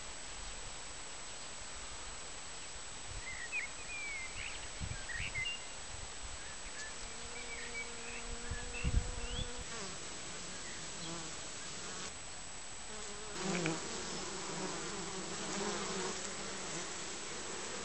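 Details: Bees flying into the hive on 20 June, returning with pollen in varied colours; continuous buzzing with a low droning tone swelling at times, short louder passes and a few knocks against the entrance.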